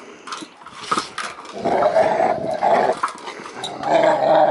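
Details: Two-year-old female Rottweiler service dog playing with her ball indoors, giving a rough rumbling growl in several long bursts, interspersed with clicks and thumps of play.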